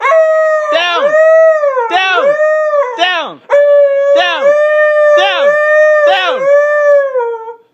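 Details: Pet Siberian Husky howling in protest at its owner's command to get down; long wavering howls that hold steady and dip at the ends, broken by the owner repeatedly saying "down" in quick short bursts.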